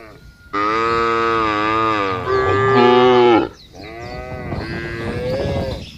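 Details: Cow lowing in the field: one long, steady, rich moo lasting about three seconds, swelling louder near its end, followed by a softer, wavering moo.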